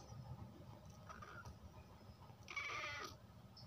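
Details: Pet cat named Mini giving one short, bright, strained meow near the end, after a quiet stretch of low room hum with faint soft sounds.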